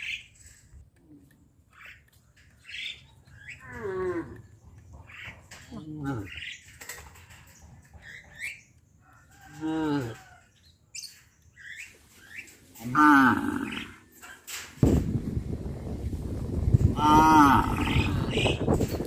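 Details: Cows led to their pen by a farmer in the evening, on a farm: several short, harmonic moos that bend up and down, spaced a few seconds apart, with rising background noise in the last seconds.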